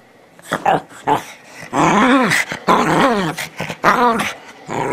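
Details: Teddy bear Shih Tzu Bichon Frise dog indoors "talking": a string of warbling, moaning growl-howls with rising and falling pitch, several drawn out over a second, with brief pauses between.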